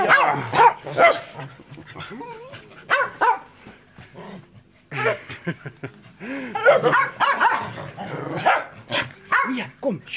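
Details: Enzo and Ozzy, two pet dogs, give a run of sharp, rising yips and barks spaced unevenly over ten seconds, mixed with a person talking and hushing them.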